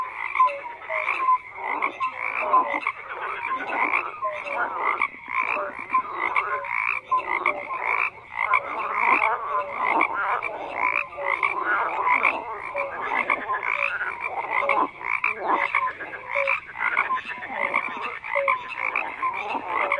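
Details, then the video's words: Steady chorus of numerous frogs, rapid rattling croaks overlapping thickly with scattered short tonal notes, sustained throughout without a break; nothing else clearly heard. "FROGS CROAKING"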